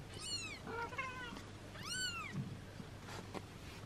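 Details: Six-day-old kitten mewing while its mother cat licks and washes it; two clear high mews about a second apart, each rising and then falling, with a faint low purr beneath.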